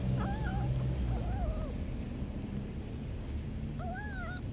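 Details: Hungry homeless street kitten meowing constantly while eating: several short rising-falling mewing calls in quick succession near the start, a pause, then two more meows near the end, over heavy low rumbling background noise.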